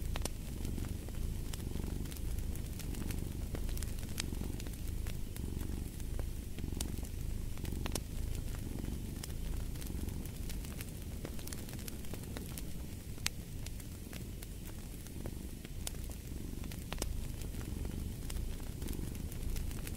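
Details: Twenty seconds of a cat's unbroken low purr pulsing in gentle swells about once a second, mixed with a cozy fireplace's scattered crackling and popping, intended as sleep and study ambience.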